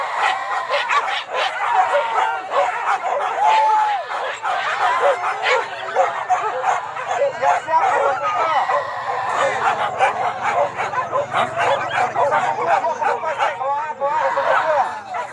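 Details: Pack of hunting dogs on a wild boar hunt at Kayu Ampek, Tanjung Emas district, Tanah Datar regency, giving dense overlapping barks and high yelps without pause, many voices layered together, with some human voices mixed in.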